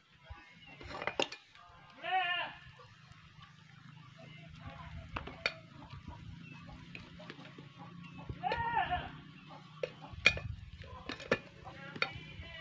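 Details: Goats being sold; two wavering, nasal bleats roughly six seconds apart, each a short quavering cry, over a steady low hum with scattered clicks, knocks and clattering in the background.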